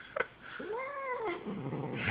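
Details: Female pet cat named Snoop protesting while being groomed indoors: a single drawn-out moaning meow with rich harmonics that rises and then falls in an arch, followed by soft rustling.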